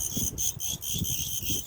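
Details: Crickets heard on a Friday evening at a Beijing jewelry shop give a near-continuous high, ringing trill broken by brief dips, while low muffled voices and movement rumble beneath.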